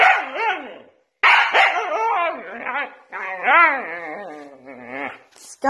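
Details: Female Siberian Husky protesting when her cardboard is taken away indoors: a series of rising-and-falling, yodeling howls and whines in several bursts separated by short pauses, with a brief spoken remark from a person.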